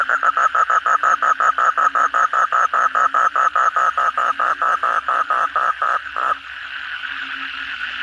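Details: After heavy evening rain, an Asian common toad repeats short grating croaks about four times a second for six seconds before stopping, leaving the hum of a distant toad chorus and a low steady drone.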